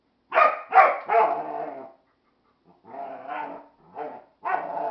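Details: Jäger, a dog, barking in disapproval at a Flying Monkey toy: three quick loud barks in a burst, a pause, then softer, grumbling barks trailing off.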